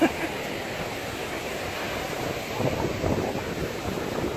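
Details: Continuous seaside wind noise and breaking surf fill the recording, with a faint murmur of voices and no animal sound.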